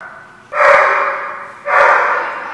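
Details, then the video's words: Dog at The Barking Lot, recorded 12/12/14, giving two loud, harsh barks a little over a second apart, each a sharp burst that fades out slowly, over a quiet background. "The Barking Lot"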